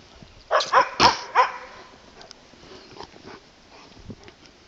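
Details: Two Landseer Newfoundlands playing at a dog boarding facility; four quick loud barks in the first second and a half, then quieter scattered yelps, with people urging the dogs to fetch a ball.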